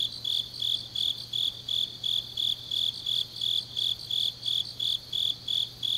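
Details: Night chorus of autumn grass insects in Changnyeong, South Korea, rhythmic high chirps beating regularly near three per second, layered callers, faint background hum.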